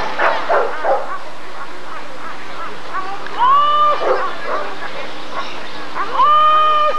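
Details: Rottweiler at a 1994 ADRK breed survey (Körung): a quick cluster of rough barks opens, then two drawn-out, arching, strongly tonal yelps follow a few seconds apart, over a steady background hum.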